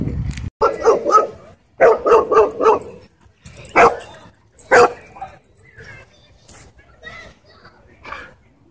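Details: Dog barking at a dog park during a conflict in which a German Shepherd reportedly drew blood from a Bull Terrier: an opening bark, then a quick run of four harsh barks, then single louder barks, with human voices between them.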